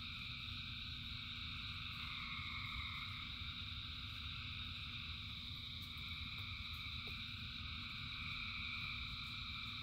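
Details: Thousands of frogs singing in rain: a dense, unbroken chorus of layered trilling tones at several pitches, slowly swelling and fading, over a steady low rumble.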